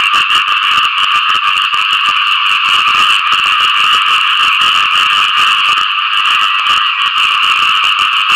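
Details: Post-rain mating calls of many frogs: a loud, relentless chorus of quick, grating croaks forming a uniform trilling wall of sound from start to finish.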